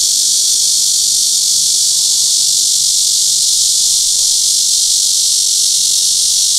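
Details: Cryptotympana cicada, named as Crytotympana pustulata or Cryptotympana atrata, filmed with a Sony PJ820 and ECM-XYST1M microphone, producing a steady, piercing high buzz that never pauses across the clip.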